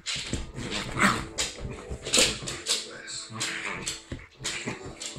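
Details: Playful pair of dogs, a Rhodesian ridgeback with a Lhasa apso Jack Russell cross, romping together; rough growly yaps and whimpers come in irregular bursts about once a second amid scuffling, with a few spoken words.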